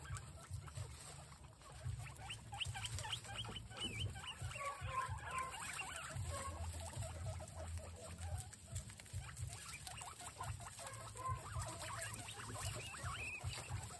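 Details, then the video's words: Guinea pigs eating capsicum make a busy jumble of short squeaks and warbling chirps, loudest in the middle, over steady low background hum and rustle. "Guinea pigs react to capsicum"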